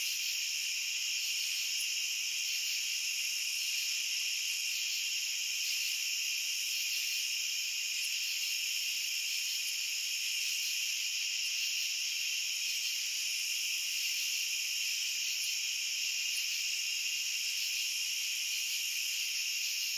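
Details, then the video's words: Crickets chirr nonstop in a thick high chorus, several layered shrill tones steady in loudness from start to finish, with only insect sound throughout. "Cricket Sounds"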